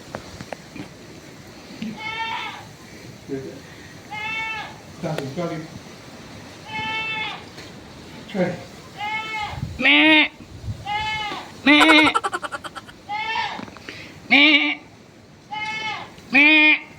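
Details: Goat bleating again and again, about ten wavering, harmonic-rich bleats spaced one to two seconds apart, some louder and quavering, with people talking in the background and a faint steady high whine.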